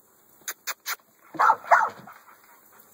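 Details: Young male American Staffordshire Bully, double-bred, kennel dog, restless while being called, gives a short whining yelp in two rising bursts after three sharp clicking taps, in a quiet indoor space.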